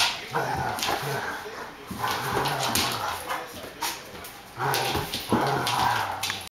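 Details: A Rhodesian Ridgeback puppy and a Border Collie at play, the puppy coaxing the collie: low rumbling growls running through the clip, punctuated by sharp scuffling bursts and a louder growling flurry toward the end.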